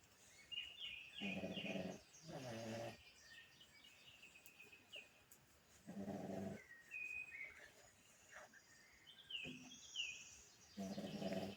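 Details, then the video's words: A sleeping pug snores in rough, throaty bursts lasting about half a second to a second, recurring every few seconds, while small birds twitter and chirp brightly in the background. "The day in the life of my dog snoring. Pugtacular"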